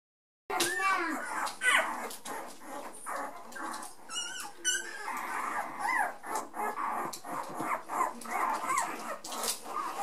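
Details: A litter of hungry Tornjak puppies calling for their mother whimpers and squeals together in high, wavering cries.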